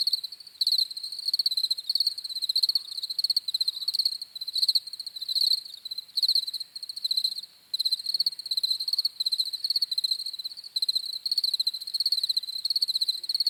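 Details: Cricket chirping sounds for sleep: sharp, high pulsed bursts repeating around once per second, overlapping chorus of insects, no wind or voices.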